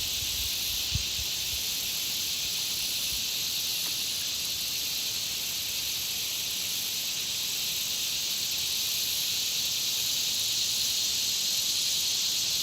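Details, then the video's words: A country pond's insects fill the air with a constant, bright, sizzling chorus, evenly sustained, broken only by one brief low knock near the start. "Country Pond Insect Sound Effects"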